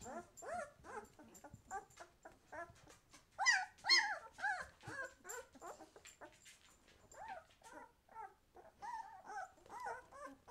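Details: Twelve-day-old White Swiss Shepherd pups, eyes just opening, make clear repeated whimpers, each a short rising-then-falling whine about two a second, with a louder squeal burst near the middle and faint rustling.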